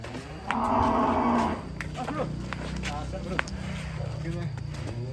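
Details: Colourful cattle: a loud, brief, nasal moo of about one second, then people talking and clattering sounds, with a low hum underneath.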